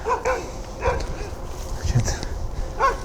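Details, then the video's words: A dog barking at night during a search of the area, giving several short harmonic barks spaced irregularly, while a man's voice tells it not to bark. "Some dog is barking."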